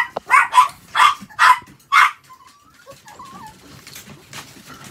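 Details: Pet Chihuahua at home while its toilet is changed, giving five short loud barks in quick succession over two seconds, then quiet with faint whining and small household noises.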